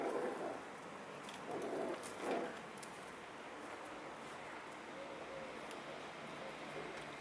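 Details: Eight-week-old Schipperke puppies: three short, whining yelps come in the first two and a half seconds, followed by quiet, steady room noise with no further calls.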